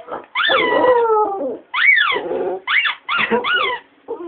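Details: Pet female dog singing along with a Tony Blair toy, which she likes to do with things such as a ringing phone; long sliding howls falling in pitch, then shorter arched howls in quick succession, separated by brief silences.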